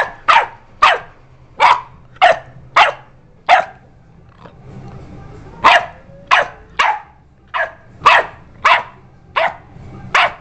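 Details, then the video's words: Sadie, a pet dog, barking a lot while another dog, Coach, stays relaxed: about fifteen sharp, loud barks in quick bursts, with a short quiet gap midway and a low steady hum underneath. "sadie barks"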